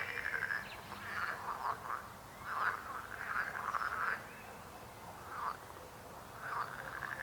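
Frogs croak in short, rattling, mid-pitched bursts that repeat about every second, several voices overlapping.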